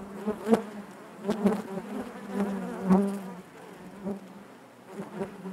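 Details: Inside a honey bee hive, a constant low drone broken by short louder pulses roughly every second as individual bees buzz close by.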